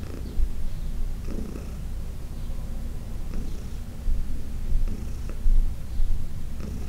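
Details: Heidi, a senior domestic cat adopted from the Humane Society of New York City, who turned 14 in August 2020, purring during a massage on June 17, 2021: a steady low rumbling purr with slight surges in loudness.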